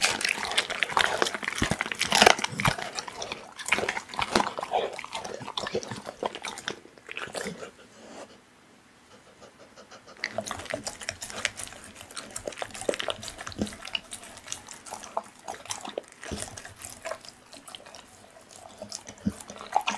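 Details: A pit bull chomps raw meat in rapid, irregular crunches. Loud biting for about seven seconds, a near-silent gap of roughly three seconds, then the wet chewing resumes steadily.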